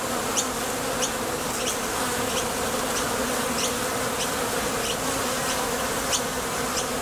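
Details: Steady wingbeat hum from a crowd of honey bees landing at and leaving the entrance of a Top Bar Hive to gather nectar, with faint crisp ticks about once or twice a second.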